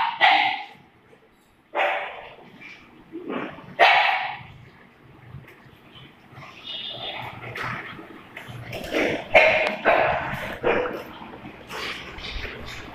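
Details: Playful Doberman and pug: loud, abrupt barks, then a denser cluster of overlapping yips and barks in the second half, with brief pauses between bursts.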